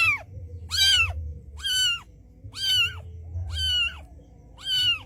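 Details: Street mother cat calling her white kitten to come to her: six short high arched meows, each rising then falling, spaced about a second apart over a low steady hum.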